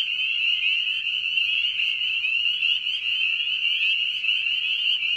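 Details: Dense night chorus of frogs or toads: overlapping high, buzzy, wavering trills that merge into a continuous loud band, with no other clear sounds.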